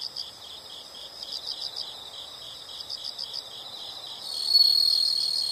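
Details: Steady rhythmic chirping of insects in a nature recording, fast regular pulses continuing throughout, with a louder sustained high trill starting near the end.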